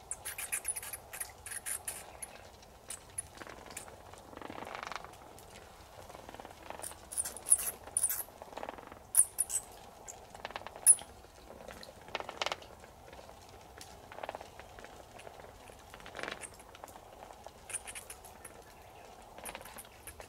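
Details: Young bat trapped inside a broken wall gap of the upper shrine building of Afuri Shrine on the summit of Mount Ōyama, Japan, heard over weeks flapping and calling 'chii-chii'; faint high squeaky bursts recur amid soft scratching, rustling patter.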